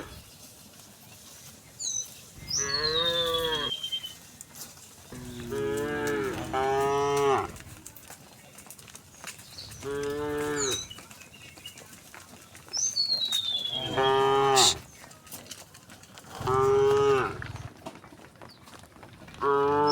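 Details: Dozens of tame cows walking in a row along a path toward a green hill in the countryside moo repeatedly, with long harmonic lowing calls overlapping, and a few higher bird chirps between.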